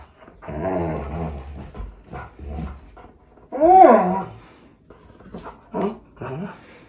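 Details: A Pointer named Walle voices his complaint over a tug toy: low grumbling growl-like moans, then a loud rising-falling whine and shorter whimpers in an indoor room.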